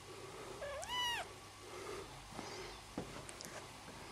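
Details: One of Vanille's new kittens, a litter whose breed is undecided between British and Scottish, gives a single clear rising-then-falling meow lasting about half a second. Soft rustling and faint taps fill the rest of the indoor recording.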